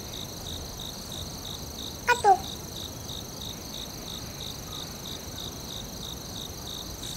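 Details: Forest crickets chirp steadily at a quick, even pace over a high continuous trill, interrupted once by a brief loud knock-like sound.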